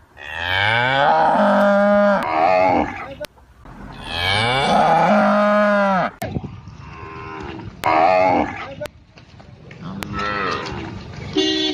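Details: Indian village cow calf calling: two long sweeping moos that start low, climb and hold, then fade, followed by several shorter, quieter bleating moos and scattered clicks.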